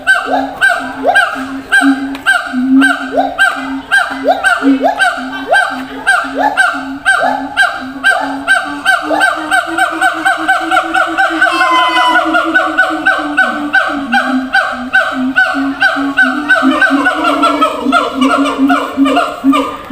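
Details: Siamang at a zoo, calling across long distance to others housed in separate cages. Loud honking barks repeat about twice a second, then a rising, quickening series of whooping notes builds near the middle and continues to the end.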